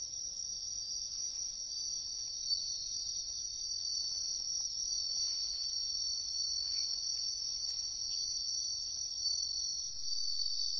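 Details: Wild bell crickets in a riverbank woodland sing a steady, high-pitched ringing trill that carries on without a break.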